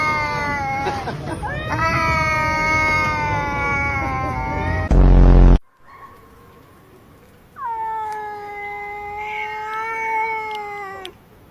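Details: Cats in a fight give sustained harmonic yowls, a long wail first, then a loud bump, a quiet pause and a second steadier howl.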